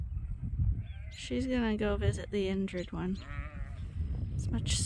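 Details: Sheep piled up on a farm morning at Ewetopia Farms, waiting for the pasture gate: several loud, shaky, vibrato bleats overlap in quick succession, over low background rumble.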